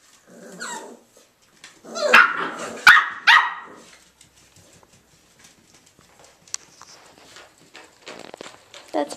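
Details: Irish Jack Russell Terrier puppies, three males named Mushroom, Portobello and Patty, playing: a short run of sharp yappy barks and snarls near the start, then mostly quiet scuffling and a woman speaking.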